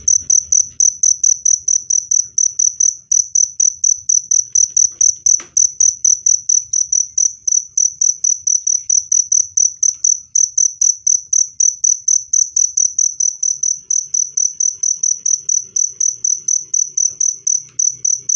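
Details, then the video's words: Cricket chirping, offered as a clear, loud sound for driving away rats and calming stressed birds: a high, shrill chirp repeated about twice a second in an unbroken, steady train, with faint low rumble beneath. "SUARA JANGKRIK PENGUSIR TIKUS jernih dan keras"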